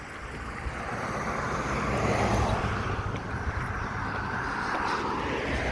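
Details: Steady traffic rumble and wind noise with no animal voices.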